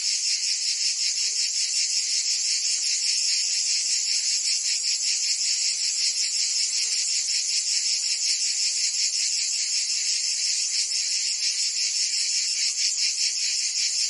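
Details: Many cicadas sing together on a Provence summer day in France. Their high, hissing buzz pulses in a quick, slightly uneven beat of around 160 pulses per minute and stays at constant volume. Nothing else is heard.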